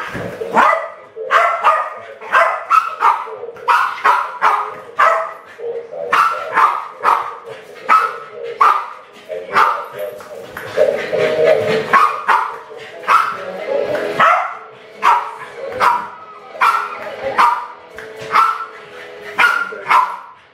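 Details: Two West Highland White Terriers, Alfie and Crystal, aged around 7 and 8, play with balloons in a kitchen in 2012, trying to kill them. They give loud, sharp barks in quick bursts, repeated steadily throughout, with short pauses between volleys.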